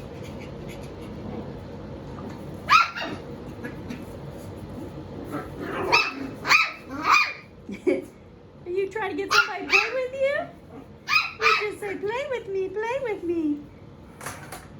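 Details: Seven-week-old puppies at play with toys indoors, giving short sharp yips and barks in bursts, some with wavering whiny tails, amid people talking.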